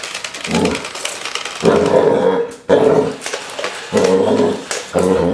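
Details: Basset Hounds, described as security dogs training to defend against invading robots, give low, rough growls and gruff barks in bursts of about a second, broken by short pauses and repeated several times.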